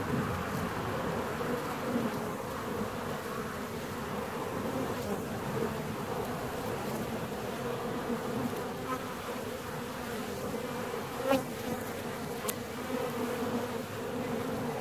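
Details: Honey bee hive 17 days after being split: a dense, steady low drone of many bees with layered humming tones, unbroken throughout, with a brief faint click near the end.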